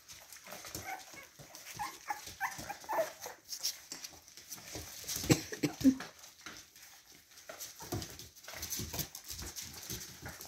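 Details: Red Clover's litter of four red-and-white Boston Terrier puppies; brief soft, high whimpers and squeaks surface now and then amid steady rustling, scrabbling and bumping as the pups move about.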